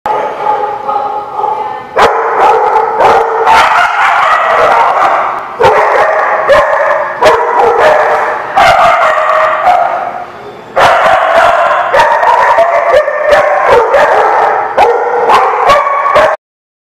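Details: Dogs barking, recorded on 15 September 2017: dense, loud, overlapping barks and yips run almost without a break, with sharp clicks throughout and two brief dips in volume.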